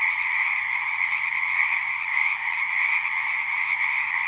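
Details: Frogs singing at a pond in a horse pasture, Zoom 6 recording: dense, continuous high trilling from many callers with a faint, quick low pulsing below and a brief dip near the middle.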